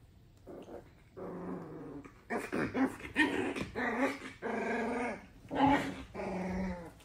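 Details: Pit Bull puppies play fighting before sleeping on top of each other: rough, throaty growls and higher yips in overlapping bursts, some rising into whiny tones, repeated irregularly through the clip.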